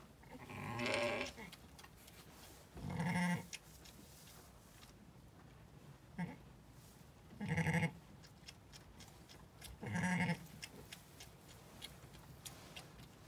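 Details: Zwartbles ewe named LittleBit lambing on a regenerative farm in County Kilkenny, Ireland, where she bore two ram lambs: several harmonic, wavering bleats spaced about two to three seconds apart, with faint shuffling and background noise between them.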